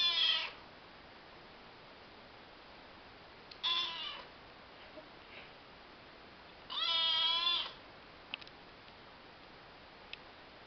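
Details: Young orange female Maine Coon kitten, adopted from a shelter, father a Maine Coon and mother a tortoiseshell, gives three high, wavering meows with strong harmonics: short ones near the start and at four seconds, a longer one near seven seconds, in a quiet room with faint clicks.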